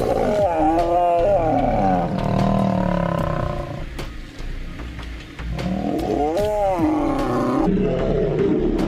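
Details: Two male lion brothers fighting; loud harmonic snarling roars in two main bursts, pitch arching up and down, with guttural growling between them and a brief lull in the middle.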